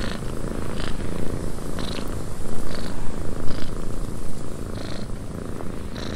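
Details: Cat purring in a windy cabin, a loud, deep rumble that swells and fades in a regular rhythm, with a breathy upper layer under each pulse, roughly once per second.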